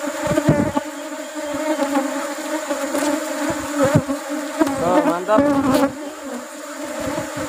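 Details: Loud steady drone of honey bees while honey is harvested as rubber trees bloom, with overtones, repeated knocks and scrapes from working the hive, and short wavering voice-like tones near the end.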